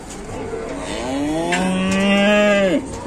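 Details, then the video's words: Cow trapped while trying to come down from a truck gives one long moo, rising then holding steady before ending abruptly, with men's voices and shouts in the background. "SAPINYA KASIAN TERJEPIT SAAT MAU TURUN DARI TRUK"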